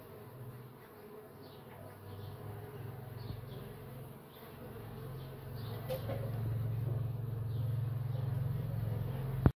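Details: Melipona scutellaris, the Uruçu nordestina bee, making its entrance to the nest, with a close, low humming buzz that grows louder and steadier toward the end before a sharp click.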